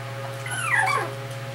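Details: A female fluffy brindle Cardigan Welsh Corgi, born 12 May 2013, lets out a short, thin whimper that starts high and drops steeply in pitch, over a steady low electrical hum.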